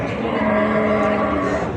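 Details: Cattle at the Ambari Haat livestock market, held Fridays and Mondays, where bulls and cows are bought and sold; a steady, low, droning moo holds its pitch for nearly two seconds over crowd murmur and traffic noise.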